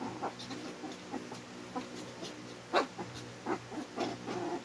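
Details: Twin Shih Tzus trade short, sharp barks and gruff yips as they tease and get irritated with each other in a squabble.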